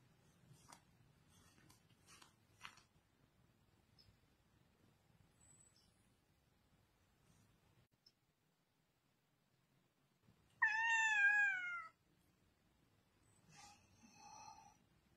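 A cat gives a loud, wavering meow that falls slightly at the end, calling its owner to wake up.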